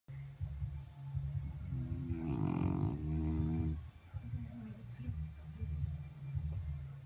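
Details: French Bulldog snoring: a deep, fluttering, rumbling rasp with uneven pulses throughout, swelling in the middle into a louder, more tonal, harmonic snort before settling back to the low rattling breaths.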